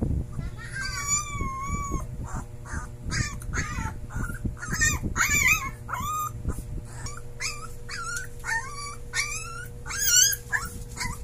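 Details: A Siberian Husky puppy howling for the first time gives high, wavering howls in short bursts, rising and bending, over a low steady hum.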